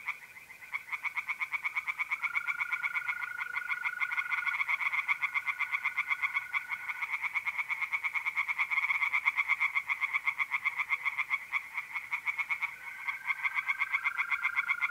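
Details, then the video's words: Tree frogs singing in a pond on an April night in north-east Italy: a dense, continuous chorus of rapid, rasping pulsed calls, with a steady high trill from mole crickets running beneath throughout. "relaxing singing tree frogs in pond"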